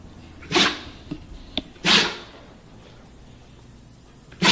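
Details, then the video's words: Husky dog sneezing indoors: sharp, explosive bursts of broadband noise, two strong sneezes about a second and a half apart, a smaller snort between them and another sneeze starting at the end. "Funny dog husky sneezing"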